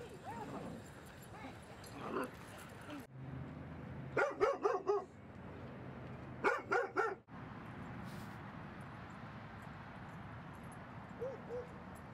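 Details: Dog barking at Seal Point Dog Park on a sunny Thursday, where Rosy and Rocky play and Rocky romps with an old playmate; two quick bursts of about four sharp barks each, with softer yips and steady outdoor background noise.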